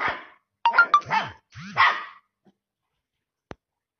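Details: Samoyed puppies giving a few short, rough yips and yelps within about two seconds, some with sliding, arched pitch, followed by near silence and one faint click.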